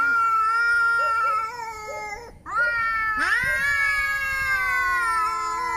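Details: Angry cat producing two sustained, moaning yowls separated by a short pause. The second starts with a rising swoop, then holds a long, slightly falling wail. The tone is harmonic rather than hissed.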